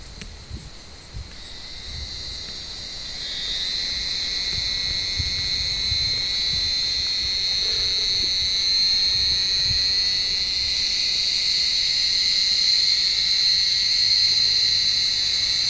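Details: Cicadas calling from an olive tree on a warm evening while cats climb the branches to hunt them: a steady, high, shrill buzzing drone that swells in after a few seconds and holds unbroken, with faint rustles underneath.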